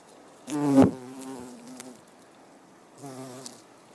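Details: Buff-tailed bumblebee (Bombus terrestris) foraging on rose mallow (Hibiscus) flowers: a loud, low, rich droning buzz with many harmonics swells for about a second, fades, then returns more softly near the end.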